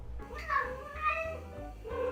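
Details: Cat (Felis catus), yowl: signals distress or discomfort.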